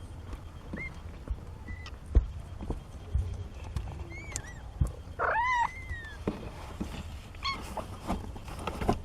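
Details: Seventeen-day-old kittens, part of a litter of four born to Nina, making several short high mews. A louder wavering cry comes near the middle, with a final chirp later, over low background rumble and light handling noises.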